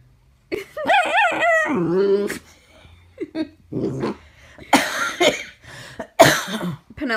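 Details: Chiweenie dog making a wavering, whiny howl-like cry of about a second and a half, then short yelps and whimpers, while a woman talks softly to it and asks what it is trying to tell her.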